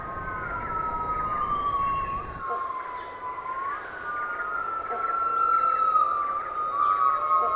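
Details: Yellow-cheeked gibbon family groups in the Indochinese jungle canopy (Cambodia, Laos, Vietnam) give sweeping, siren-like whistled calls that rise and fall, overlapping one another, in their deafening morning chorus marking territory.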